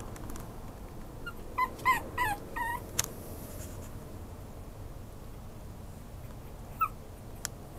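A small Maltese-Chihuahua mix dog gives a quick run of high, whining whimpers.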